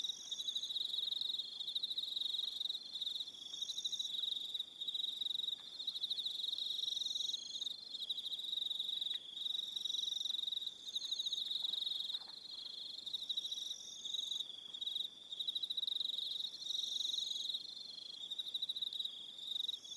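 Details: On Aroha Island in New Zealand, an evening chorus of crickets keeps up continuous high, rapidly pulsed trills in a near-unbroken wall, with brief gaps and faint higher whining tones drifting in and out.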